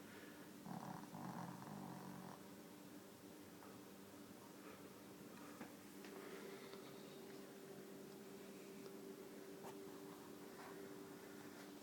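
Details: Deaf dog Susie, fast asleep in a bed, lets out a long rough snoring breath of about a second and a half, followed by quieter breathing against a constant background hum.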